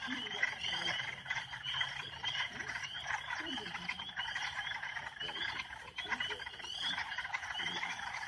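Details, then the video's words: A dense chorus of Northern spring peepers, countless high, piercing peeps overlapping into a continuous shrill ringing. "Sounds of Northern Spring Peeper Frogs"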